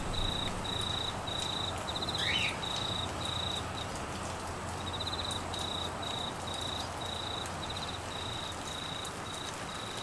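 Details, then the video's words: Crickets during a Queensland monsoon downpour in the Australian wet season, with flooding: short bursts of high pulsed trilling follow one another, pause briefly near the middle, then resume. A brief sliding sound occurs early, all under steady rain hiss. "Crickets and rain Sounds"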